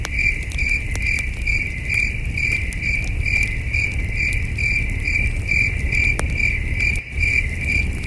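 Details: At a wilderness campsite after dark, crickets keep up a rhythmic high chirping, about two pulses each second, mixed with crackling campfire clicks; one sharp pop near the end briefly muffles the chorus.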